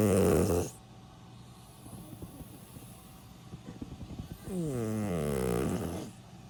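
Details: Milk, a 16-year-old senior pet dog, snores while asleep: a brief snore tails off at the start, then quiet breathing, then a long, droning inhaled snore with a low, rattling buzz that fades near the end.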